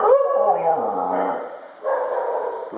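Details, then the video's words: Dog making a funny noise: a drawn-out, wavering, whining howl in two long phrases, dipping briefly near the end before rising again. "Dogs making funny noises"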